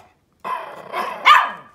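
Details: A Pomeranian puppy, one of three, gives high, whiny yaps ending in one sharp bark, "speaking" on command while being trained and begging for a treat.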